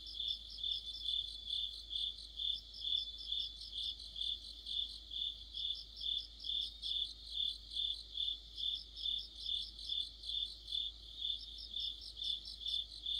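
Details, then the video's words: Mid-autumn night chorus of crickets by a streetlight: continuous high, rhythmic chirping at a steady pulse, joined in bursts by a faster, lighter trilling from another insect. "가을의 한 복판 곤충들의 합창"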